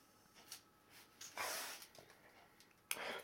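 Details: Rocky, an Akita mix, sneezes with joy indoors in the early morning: short breathy snorting bursts, the loudest near the middle, with a sharp one at the end, while a person softly repeats a morning greeting.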